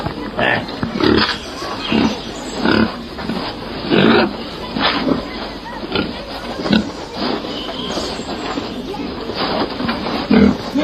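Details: Wild boar grunting in a steady series of short, harsh, low bursts, roughly one per second, with rough noisy texture throughout and no other clear sounds.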